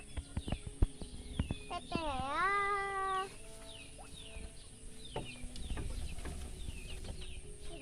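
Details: Sheep bleating with its young: one wavering, nasal bleat lasting over a second, dipping and then rising in pitch, with shorter harmonic calls after it, over background music and scattered knocks.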